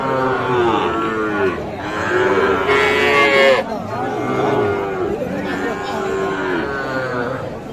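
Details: Sahiwal cattle at the Aftabganj cattle market in Nawabganj, Dinajpur, on 16 July 2024, where bull calves are sold. Long, deep, harmonic moos, some sliding downward, overlap one another, with a burst of hiss near the middle and market bustle behind.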